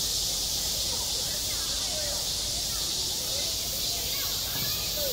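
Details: On a school playground in midsummer, cicadas keep up a constant, piercing, hiss-like drone, slightly softer here, with faint distant voices and tonal snippets underneath.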